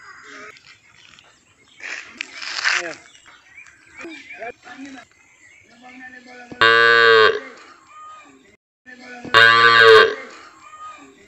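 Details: Indian village cow from Assam sounding two short, loud, deep bellowing moos near the end, about three seconds apart, after a stretch of quiet human chatter and rural background sounds.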